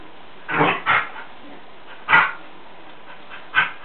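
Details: Two dogs at play, one a Jack Russell Terrier named Charlie and the other named Sadie, giving short sharp barks: a quick pair near the start, then single barks about every second and a half, over a low steady hiss.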